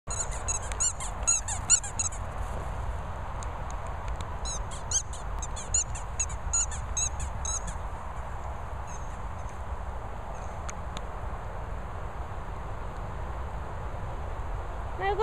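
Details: Patterdale Terrier named Pip squeaking outdoors in the rain: thin, very high-pitched squeaks in rapid bursts, clustered in the first two seconds and again around five to seven seconds, then sparser, over a steady hiss of falling rain.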